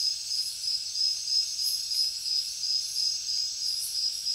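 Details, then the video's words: High-pitched cricket chirping, a continuous shrill trill broken into rapid even pulses about three per second, with occasional sharper high bursts over the top. "Crickets Nature Sound"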